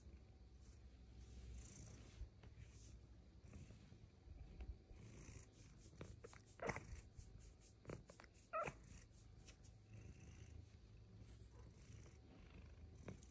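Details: Bengal cat Luxe, a female, purrs under belly rubs and head scratches: a low, even purr with a couple of brief sharper chirps and light touch noises.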